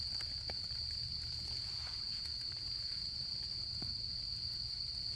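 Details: In autumn camping season, insects keep up an even, piercing, high trill as a single sustained tone, with occasional pops and ticks from a crackling campfire and a dull low background rumble.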